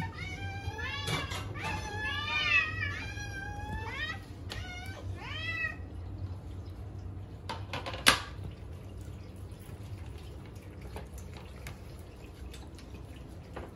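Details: Hungry pet cats awaiting mealtime give a cluster of overlapping, wavering meows during the first six seconds, then fall quiet, leaving scattered clicks, one sharp knock and a low background hum.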